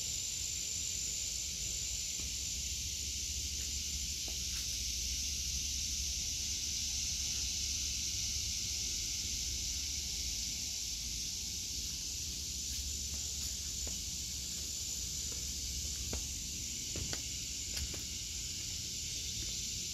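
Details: Cicadas in an August 2023 vegetable garden, a dense steady shrill buzz running unbroken through the whole stretch with a faint shimmer on top, low rumble of distant traffic underneath and occasional soft clicks of movement.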